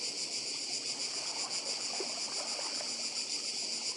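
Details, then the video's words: Cicadas on Badija island, Croatia, heard with the sea: a dense, steady high buzzing chorus that fills the whole recording without a break, with a faint wash of water and soft low rustles beneath. "Biały szum. Cykady i szum morza w Chorwacji. Wyspa Badija"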